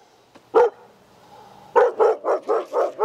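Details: Fearful female Australian Shepherd barking as a trainer walks past, backing away from his sudden movement out of fear; a single sharp bark, a quiet gap, then a quick series of five loud barks roughly every quarter second.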